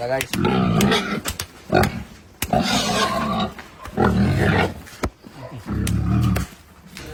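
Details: Pietrain and Large White gilts on a hog farm, the Large White being loaded for transport to Batangas: loud, rough, drawn-out squeals and grunts in several bursts, with clattering knocks and human voices.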